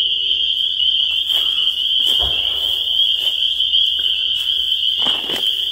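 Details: Many spring peepers calling together, their sharp high peeps fused into a constant ringing wall of sound, broken only by a few faint clicks and a soft low thump.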